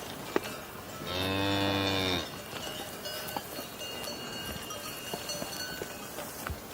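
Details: Cow mooing: one long, steady, low moo about a second long with rich stacked harmonics, set against a hissy outdoor background with faint clicks and distant tones.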